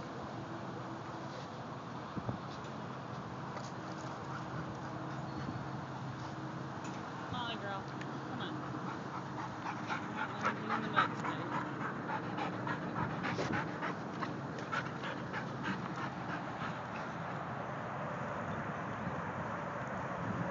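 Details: Three-year-old white Labrador Retriever Molly at a San Diego dog park; quick repeated breathy panting, roughly three or four puffs a second, strongest midway, with a person talking and steady outdoor hum behind.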